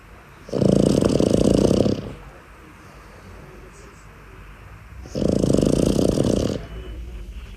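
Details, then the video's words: A Boston Terrier puppy snores in its sleep, having chosen a spot other than its cot. Two loud, buzzy, rattling snores, each about one and a half seconds long, come roughly four seconds apart against near silence. "look where he sleeps and snores the Boston Terrier puppy"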